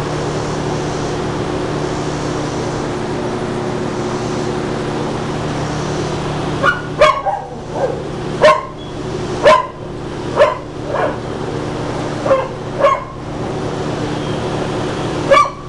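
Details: Peta, a Blue Heeler (Australian Cattle Dog) awaiting adoption, barks in an irregular run of about ten sharp, bright barks after a quiet start, some doubled, against a constant low mechanical hum.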